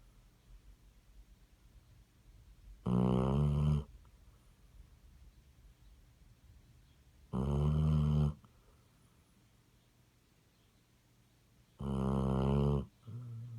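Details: Steady snoring from a Basset Hound: three loud, gravelly snores spaced about four and a half seconds apart, each near a second long, followed by a brief snort at the end.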